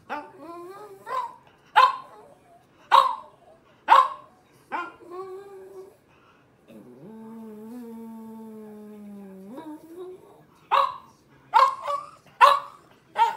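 A French Bulldog makes a run of short, throaty yelps and moaning grumbles, each rising then dropping. In the middle comes a long, level whine held for a few seconds before the yelps resume.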